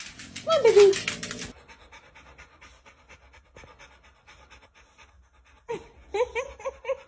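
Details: Dog from a funny pet compilation lets out a loud, falling whine in the opening second and a half. Soft breathy sounds follow, then more whining with a human voice near the end.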